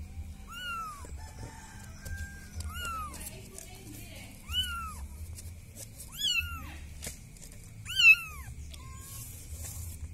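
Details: Village cat calling for help, giving single thin arched meows spaced about every two seconds, the last ones louder, over a low steady background hum.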